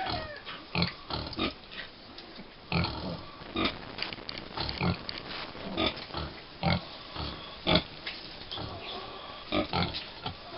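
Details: Five-week-old American Guinea Hog piglets on a family farm: short grunts and squeals in irregular bursts, roughly every two seconds, with rustling and movement between calls.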